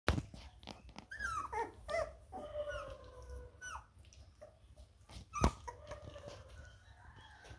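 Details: Labrador Retriever puppies playing indoors: thin high whines and squeals sliding downward, mixed with scuffling, soft yips and a sharp knock partway through.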